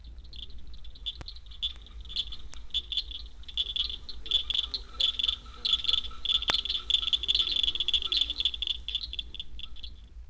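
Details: In Florida, a large chorus of southern cricket frogs gives rapid clicking chirps that overlap and sound much like crickets.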